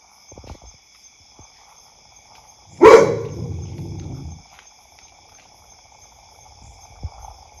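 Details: A pet dog in an Indian household gives one loud, sharp bark about three seconds in, trailing into a lower rough tail for roughly a second and a half. The rest is quiet apart from faint clicks and a steady high electronic tone.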